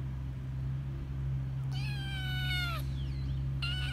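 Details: Hungry stray tortoiseshell kitten crying to its carer: two drawn-out, level meows with rich harmonics, the first about a second long, the second cut short, over a steady low mechanical hum.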